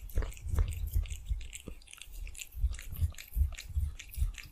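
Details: Cat eating cheese, ASMR-style recording indoors; quick crunchy bites and wet chewing, low thumps with crisp clicks, about two to three chews per second, steady and close.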